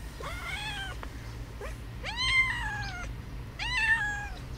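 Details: Domestic cat, one of two cats where the other hisses, giving three loud, drawn-out meows about a second apart, each rising then slowly falling, with strong harmonics; quiet low hum beneath.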